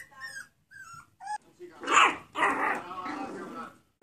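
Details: Two-month-old toy poodle (Canis familiaris) puppies, tackling their first obstacles, give high, thin whimpers, followed by a person's coaxing voice.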